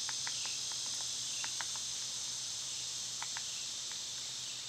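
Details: Cicadas singing in summer, when they are loud this time of year: a dense, steady high buzz fills the air without a break, with a few short faint bird chirps scattered through.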